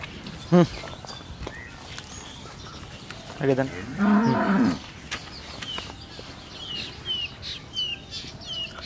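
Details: Holstein Friesian cow, second calving, with bull calf, on a dairy farm in Pabna, Bangladesh; one short low moo rises, then a longer harmonic moo, amid farm noise, clatter and bird chirps later.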